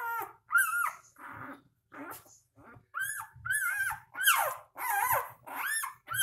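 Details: Newborn puppies, three days old, cry in quick succession: shrill, bending whines and squeaks, some rising then dropping, about one every second, with soft rustling beneath.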